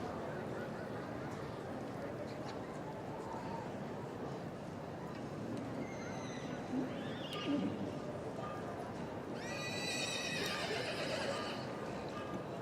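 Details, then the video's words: Welsh Cob, a two-year-old filly, whinnies near the end: a shaky, quavering call falling over about two seconds, with fainter short calls earlier; a man's voice and low crowd murmur run throughout. "Welsh Cobs - Filly 2 yr old"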